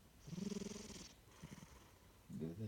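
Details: Napping pet cat snoring, a pulsing low rumble on the breath in, then a quieter gap with soft breathy sounds before another rumble begins.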